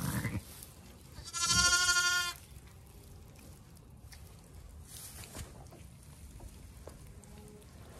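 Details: Zwartbles ewe in labour on a regenerative farm in County Kilkenny, Ireland, while the farmer helps pull her second lamb; one loud, wavering, strongly harmonic bleat lasting about a second, then steady background noise with faint knocks.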